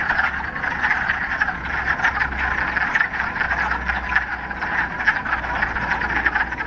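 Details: A pond full of frogs in the Ramapo Mountains, mid-March, first warm spring day following a week of rain; countless rapid, rattling croaks merge into an unbroken chorus, over a faint low hum.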